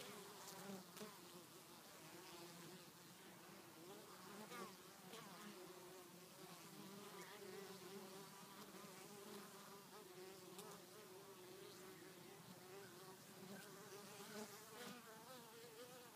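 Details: Honey bees returning to the hive with pollen in January, in winter: a steady low insect hum with wavering tones, plus frequent short sharp ticks and clicks throughout.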